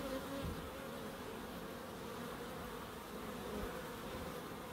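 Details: Bees in a small wildlife garden at an end terrace house in Crookes give a steady, low droning buzz that holds evenly throughout, with a faint higher hum layered above and soft background rustle.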